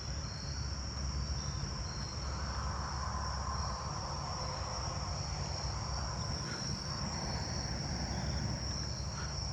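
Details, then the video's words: Jumping bush crickets call from both sides, one fairly close and others faint, a high steady insect chorus over a low rumble, recorded 8/11/26. "yeah, I'm hearing jumping bush crickets from both sides now."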